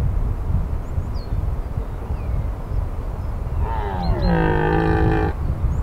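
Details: Red deer during the 2023 rut in the Aigoual massif, France: one drawn-out, harmonic-rich bellow lasting about two seconds after a stretch of quiet, with steady low rumble of wind or background noise and faint high bird chirps.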